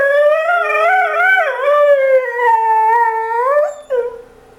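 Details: Pet dog 'talking': one sustained, wavering howl that dips and rises, then tails off into a short yelp-like rise and a fading whine.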